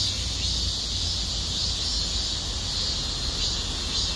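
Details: Cicadas give a loud, unbroken, high hissing drone over a low rumble, recorded in shady forest on a hot, windless summer walk at about 32°C.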